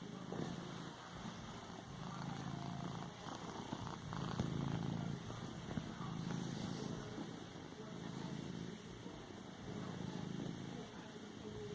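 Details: Cat kneading a pillow, purring in a deep, continuous rumble that swells and fades in slow pulses with each breath. Faint fabric rustling and room noise sit underneath.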